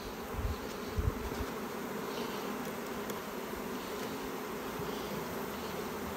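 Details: Honey bee colony humming inside its hive at an apiary while a beekeeper opens it to make May splits. A steady, dense buzzing drone fills the whole recording, with a few soft low knocks near the start.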